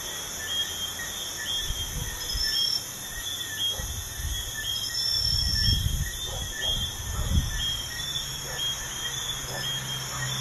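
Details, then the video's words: Night crickets near a busy highway keep up a continuous shrill, pulsing trill in stacked high bands; low rumbling bursts of passing vehicles rise and fall underneath. "Crickets at night by a busy highway"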